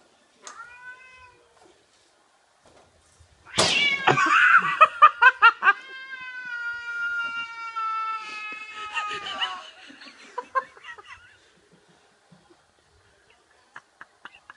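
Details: House cat attacking a cat-shaped balloon that a man moves around: short meows, then a loud burst and a long rising-and-falling yowl broken by rapid clicks and scratching, ending in scattered taps.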